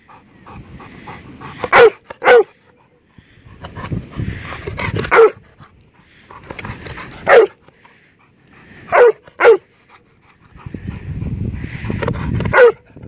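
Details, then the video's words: A Labrador barks for its ball, which another dog lying in the bushes behind it is holding. Seven loud, sharp barks come singly or in quick pairs every two to three seconds, with rustling and soft panting between them. "Bellender Labrador"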